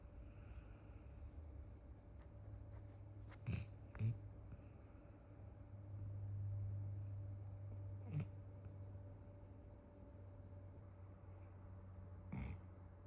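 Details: A sleeping, dreaming Akita Inu snores softly, with low rumbling breaths and a few sharp snorts.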